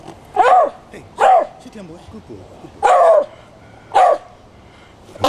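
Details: Squaddie the Jack Russell Terrier, set off by a horn at a folk band rehearsal in Copsale Hall, Sussex, June 2009, gives four loud, whining bark-howls, each about half a second long and roughly a second apart.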